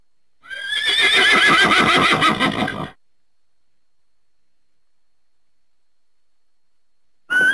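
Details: Horse neighing: one long, loud whinny lasting over two seconds, high and quavering with a rapid tremolo, followed by silence and the start of another call at the end.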